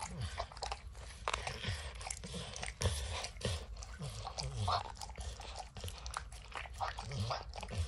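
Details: Peanut butter and kibble lodged in an orange mat keep Max the dog busy licking, giving sharp crunchy smacks in quick irregular bursts with soft low thuds between them.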